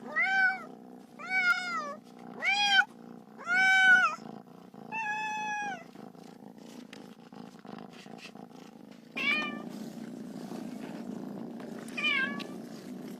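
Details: Playful little kitten with a ball: five rising-falling meows in the first six seconds, then a low rumbling background and two fainter meows later.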